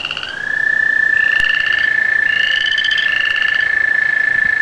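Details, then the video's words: Ahead of a rain, frogs and tree frogs give a few pulsed rising calls over a loud unbroken high-pitched tone lasting nearly the whole clip. "Frogs & tree frogs singing before a rain"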